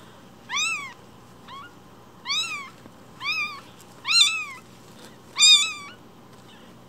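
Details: Newborn foster kitten, one week old, repeatedly cries with loud high-pitched mews, each swooping up then down, about one every second, growing stronger toward the end.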